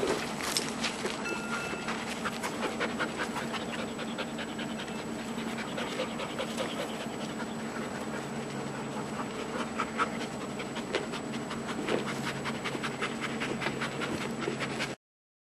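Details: Giant schnauzer pups, eight months old, play with a favourite Jolly ball on September 30, 2012; rapid, steady breathy panting runs almost unbroken throughout, over a faint constant high-pitched tone.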